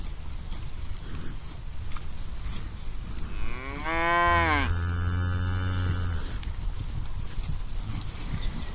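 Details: Cows searching for food in a green pasture meadow; one long, loud moo in the middle, rising then falling with rich harmonics and a low drawn-out tail, over steady outdoor background noise.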